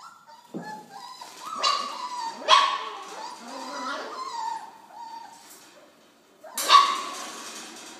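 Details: Four-week-old Belgian Malinois puppies from a litter of ten (eight males, two females) born 8 November 2013, heard close up: high, tonal whining yelps that rise and fall, with sharp louder cries near 2.5 and 6.7 seconds and a brief lull before the last.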